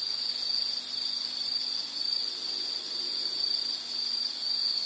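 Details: Softer, more distant-sounding insect call: an even, high-pitched buzzing trill at a constant pitch, with a faint low hum underneath.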